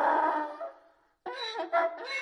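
A donkey gives its bray: first a long, hoarse, falling tone, then after a brief pause a run of rough, see-sawing pulses. The voice catches with a hiccup-like break between breaths, typical of donkey braying.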